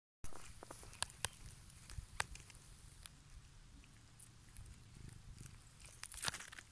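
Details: Captive female serval, rescued and hand-reared, now too habituated to people and living at a rehabilitation centre where she seeks human attention. She gives a deep, continuous low purr, with sharp clicks and handling rustles.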